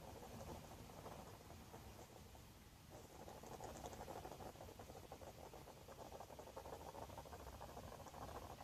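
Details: Friendly garden hedgehog resting inside its nest box, producing rapid rhythmic snores, about three soft rasps per second, a pump-like churning that swells slightly louder in the second half.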